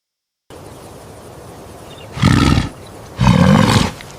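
A bull gives two deep, hoarse bellows, each under half a second, about a second apart, over a low steady background hum.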